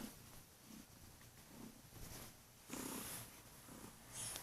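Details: Kurilian Bobtail house cat that waits at the bedroom door each morning, then jumps onto the bed and purrs loudly to rouse its owner. A continuous deep purr is heard, with brief breathy swells and rustling in a small room.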